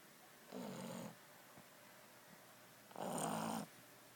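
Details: Deep snores from a Boston Terrier dog sleeping off a rough one: two buzzy, rasping breaths about two and a half seconds apart, the second louder and fuller.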